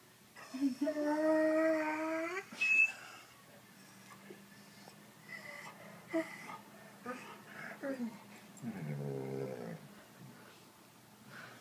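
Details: Corgi whining because it wants to bury a treat: a long, high, tonal whine held for about two seconds, then softer broken whimpers and a wavering lower whine near the end.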